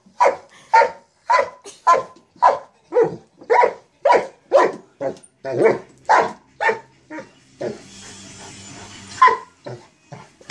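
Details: Mastiff playing with a sock monkey jack-in-the-box, giving a steady run of loud, deep barks about two per second, briefly broken near the end by a rattling, hissing toy noise.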